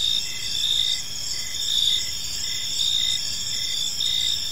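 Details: A tranquil evening park filled with chirping crickets: piercing, sustained high trills overlaid by short regular chirps, around one per second, with low-level background rumble.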